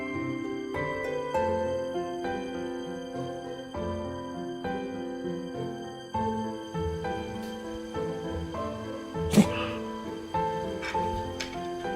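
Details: Soft instrumental music with sustained tones plays throughout, broken by one sharp percussive knock around the middle.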